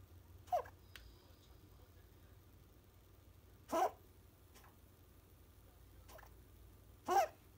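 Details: Apricot female Toy Poodle puppy named Uran, 61 days old, sick with infectious bronchitis; three short harsh coughing bursts, about three seconds apart, in a quiet indoor room.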